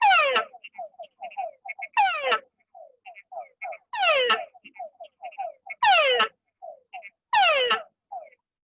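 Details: Frog calling in a water-depth experiment, from 0.25 cm of water up to floating; loud descending sweeps roughly every 1.7 seconds, each followed by a string of short falling notes and faint higher clicks.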